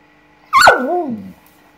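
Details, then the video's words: Samoyed dog indignant on seeing a lizard for the first time, giving a single sharp yelp that slides down into a drawn-out, falling whine lasting under a second. "Perro Samoyedo indignada con Lagarto Colorado"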